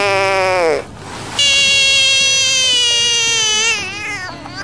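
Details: Screaming frog freaking out: a short cry that bends downward and cuts off, a half-second gap, then a long, bright, sustained scream drifting slightly lower before fading.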